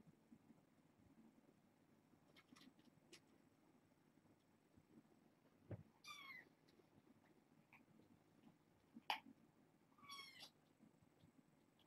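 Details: Young foster kittens at bedtime, born August 29 to a family pet and brought via Purrfect Pals, a litter of four females and two males; two thin, high rising-falling kitten meows sound a few seconds apart over a quiet, low indoor hum.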